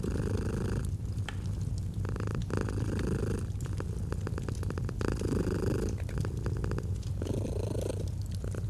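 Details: A domestic cat purrs without pause, its throbbing rumble swelling on alternate breaths about every second or two, while fireplace crackling snaps throughout in an autumn setting.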